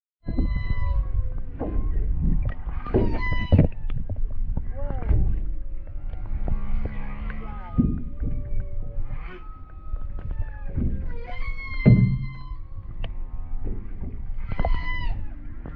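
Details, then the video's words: A humpback whale family of mother, father and calf sings off the coast of Maui, heard from paddle boards. Deep rumbling moans mix with tonal upsweeps, drawn-out whoops and brief harmonic cries, all over steady low-frequency rumble. "Mama, Papa and Baby Humpback Whales singing off the coast of Maui"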